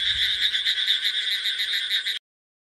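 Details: An Indian bullfrog (Rana tigrina) gives a harsh, rapidly pulsed mating call at monsoon time that runs steadily for two seconds.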